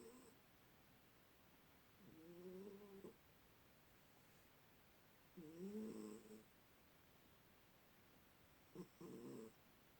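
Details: Pet cat sleeping upside down after a tummy rub, giving soft snores in a quiet room: three rasping, slightly wavering snores about three seconds apart, the last one short and broken.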